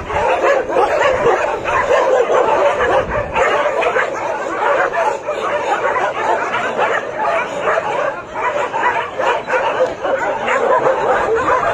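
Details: A whole shelter's worth of dogs barking at arriving visitors, relentless overlapping barks and yips, with a brief dip in the din around the eighth second before it swells again.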